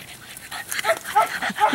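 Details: Female chocolate tri English Bulldog puppy, 11 weeks old, at a ranch, giving a brief run of short, high whimpering yips and squeaks in quick succession, with faint voices in the background.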